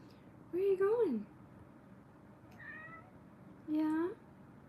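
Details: Kittens in a cuddle room during a live stream: two clear harmonic meows, the first wavering and falling after a rise, the second short and slightly rising, with a faint softer mew between them in a quiet indoor room.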